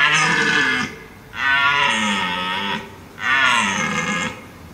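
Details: A wild red deer stag (Cervus elaphus) in Abruzzo, Lazio and Molise National Park, Italy, bellows three times, each a harsh, gravelly roar lasting about a second.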